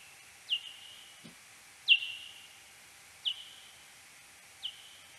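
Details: Slowed ten times, a serotine bat hunting in search phase over a wooded garden in central France on 13 April 2022: four fainter downward-sweeping pulses with short flat tails, about every 1.4 seconds, plus one faint low tick.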